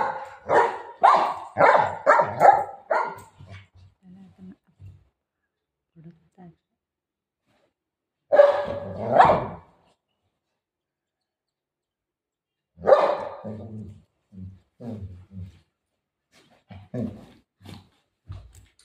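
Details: Golden retriever playing, giving a quick burst of loud, harsh barks in the opening seconds, then short louder bark pairs around the middle and later, separated by quiet gaps with faint low sounds between.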